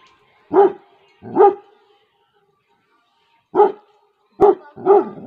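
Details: Female Labrador Retriever guarding her territory in a village in Tehri Garhwal, Uttarakhand, India: five loud, deep barks, two close together, a pause of about two seconds, then three more in quick succession.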